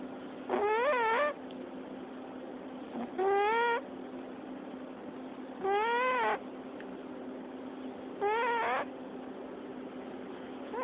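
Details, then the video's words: Domestic cat asleep, squeak-snoring: four clear, arched, whistle-like squeaks, each about half a second long, repeated every two to three seconds over a faint constant hum. "cat squeak-snore to petting purr"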